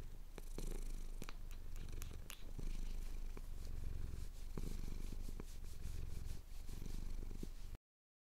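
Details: Male pet cat purring steadily as his chin is scratched at sunrise over the Cotswold hills, recorded on a Tascam DR-07X; a continuous low rumble with sharp scratching clicks scattered throughout and brief dips in the purr.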